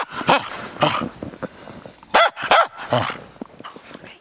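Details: Cairn Terrier at play in the snow, barking friskily: short, bright barks in an uneven run, two louder arching barks in the middle, softer yips and grunting sounds between them, the barking fading out at the end.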